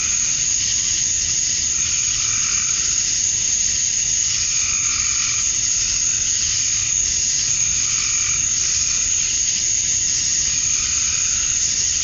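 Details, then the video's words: Cicadas at dusk on a summer night in Georgia, USA, males chirping for females: a steady high-pitched drone, with softer pulsing mid-range buzzes swelling roughly every two to three seconds beneath it. "Cicadas at Dusk, Summer Night"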